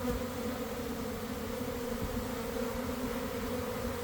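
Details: Steady, even drone of a developing honey bee swarm in a garden around one in the afternoon, following cold, damp days. Thousands of wings make a continuous low hum with no breaks.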